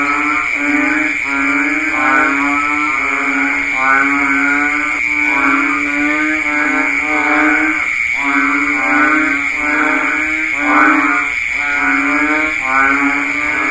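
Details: Dense rainy-season chorus of banded bullfrogs, with a long run of overlapping, bleating lowing calls, each roughly a second, forming a near-continuous wall of sound over a constant shrill hum.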